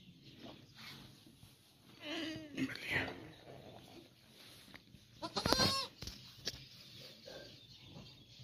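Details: Goat around the time of giving birth to a female kid. A wavering, harmonic bleat rises and falls between two and three seconds, then a louder, harsher bleating burst comes near five and a half seconds, over low background noise.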